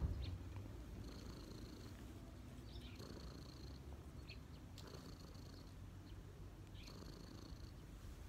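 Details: Cat relaxing on its owner's knees keeps up a gentle, steady low purr, with light hissing breaths recurring every couple of seconds.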